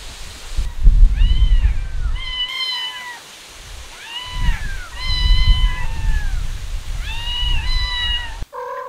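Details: Street cats, a mother cat with her kittens: high, thin meows, several overlapping, each arching up then down, in three clustered bursts, over a steady low outdoor rumble.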